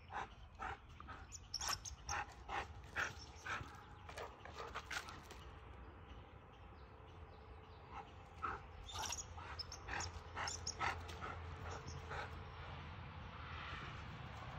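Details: Ontario Husky Eddie watching and chasing a red squirrel around a tree outdoors: rapid thin yips and whimpers, about two a second, thinning into a drawn-out whine, then renewed yelping against a steady low background hum.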